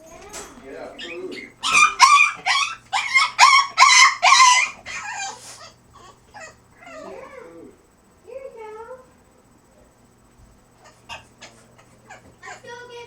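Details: French Bulldog in crate training, making funny noises: a burst of loud, rough, rhythmic yowls and barks, about seven in quick succession, then softer whimpers and short squeaks trailing off.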